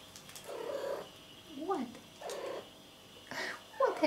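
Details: A domestic cat talking back to its owner: short drawn-out meows that bend up and down in pitch, ending with a sharper rising meow, alternating with soft human voice.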